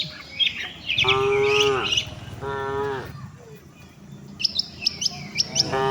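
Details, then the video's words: Tame cattle heading to the shed alongside the herd: two steady, sustained moos, each about a second long, followed by sharp high bird chirps. "suara sapi moo,perjalanan sapi lembu jinak menuju kandang bersama kawanannya"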